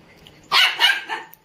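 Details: Indian Spitz dog giving a burst of shrill barks run closely together after a quiet start, ending with a small click.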